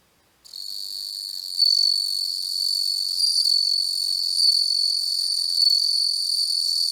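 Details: Bell cricket (Homoeogryllus japonicus) seen through a macro lens: after a moment of silence, a bright, high, bell-like trill begins and rings on steadily with slight pulsing.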